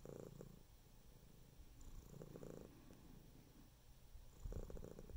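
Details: Pet cat purring, a low vibrating rumble pulsing quickly, with three distinct swells of breath spaced about two seconds apart over soft background noise.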